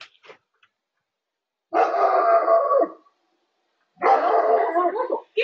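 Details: An Alaskan Malamute gives long, drawn-out, harmonic barks, almost howling, at night to defend the house against a huge bear.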